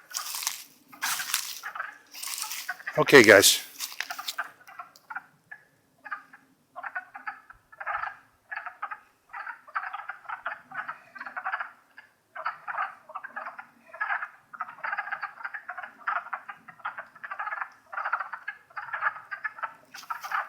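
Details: Spring chorus of wood frogs, Longkill Woods, April 2014: after a few seconds of handling and rustling noise, short clucking croaks follow in quick, uneven bursts, roughly two a second, against a quiet background.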